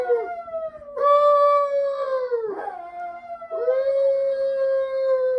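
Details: Chihuahua dogs howling: drawn-out level howls joined by a second, higher overlapping voice, with a short yelping break midway and a low steady hum behind.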